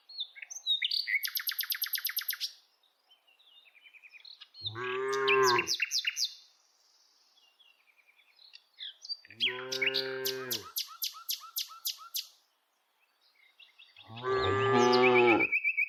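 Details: Village cows, dozens of them tame and herded on a daily walk: three separate deep moos at roughly five-second intervals, set among frequent high, rapid bird chirps and twitters that fill the gaps.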